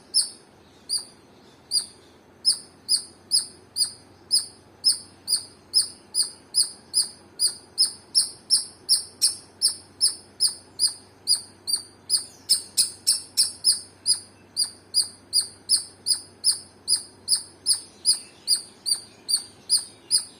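A squirrel gives a long series of sharp, high chirps, about two or three every second.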